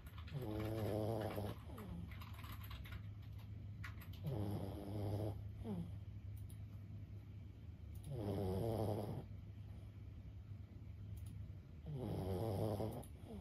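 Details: Lulu, a senior Boston Terrier of 15, sleeps soundly, letting out four rattling, low snores roughly every four seconds, with hushed breathing between them.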